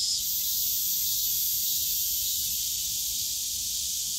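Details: Steady high-pitched cicada drone recorded on a summer day in the bamboo forest of Yongsan Family Park, continuous and unvarying, with quiet low-frequency park background beneath.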